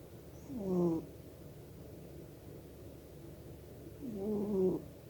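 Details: Snoring of a pet cat fast asleep, with two short, gurgling snore bursts that swoop slightly in pitch and are separated by roughly three seconds of near-silence and faint background hum.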